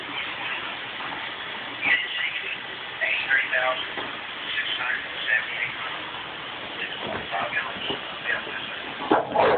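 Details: A male English Bulldog, about 6 months old, who dislikes vacuum cleaners, gives short, yipping barks and whimpers over a steady vacuum cleaner roar.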